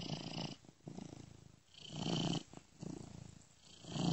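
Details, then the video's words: Sleeping domestic cat purring, recorded by a friend and looped with a software ear-to-ear panning effect; soft, rumbling purr rising and fading in slow breath cycles about every one to two seconds. "ASMR Cat Purring Gently Ear to Ear"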